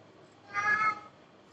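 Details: A cat named Babi gives a single short meow of about half a second, harmonic and slightly rising then falling, over a quiet room background.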